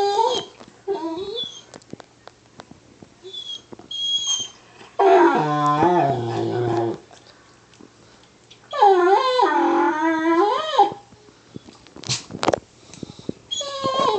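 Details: An excited, provoked male Weimaraner howls to a Lab-Weimaraner mix in drawn-out, wavering howls sliding into lower moans, with short yips and whimpers between the longer howls.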